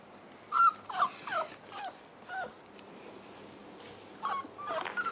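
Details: Boerboel puppies at week five with mother Cleo: a run of high whining whimpers, each a curved, falling tone. Four come in quick succession, then a pause, then two more at the end.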